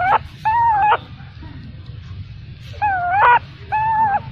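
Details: A baby macaque abandoned by its mother gives drawn-out, steady, plaintive cries in two pairs, each note level then dropping at the end, separated by a quiet pause with faint hum.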